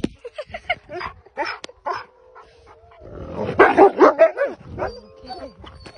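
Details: Wolves at a sanctuary give short yips and barks that build into a wavering, rising-and-falling howl.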